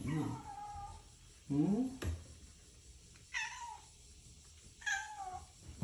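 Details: Pet cat refusing to leave the father's side until he departs, meowing to be fussed over; a brief low human voice, then two short meows about a second and a half apart, each sliding slightly downward.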